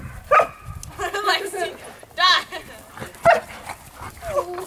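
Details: Dogs playing together: a 9-month-old black standard poodle, a 1-year-old apricot standard poodle and a 1.5-year-old German Shepherd. Short harmonic yips and whining barks come in irregular bursts, about one a second, over human talk.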